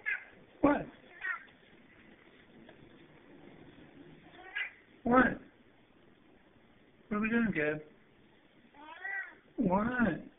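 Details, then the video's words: Bossy male pet cat indoors, whose barking cat sounds are sharp yaps and who wants a laser pointer brought out, recorded on a low-resolution cell phone: short harmonic yowling calls spaced several seconds apart, with a man repeatedly asking "What?" "my bossy barking cat"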